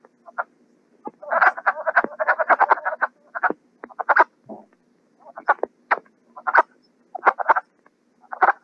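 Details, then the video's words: Wood frogs calling during their short spring breeding period of a week or two: a dense chorus of hoarse, clucking, duck-like quacks in quick bursts, many overlapping, with brief pauses between clusters; played back in a frog and toad survey training. "The wood frog, its call has been likened to ducks quacking, chickens clucking, or turkeys. So I'm going to play it for you, see what you think."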